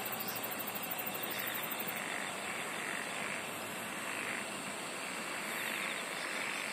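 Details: Singing insects fill the air with sustained high shrill tones, topped by a quick, very high pulsing trill that runs for the opening two seconds. Softer croak-like bursts in the midrange come and go behind them.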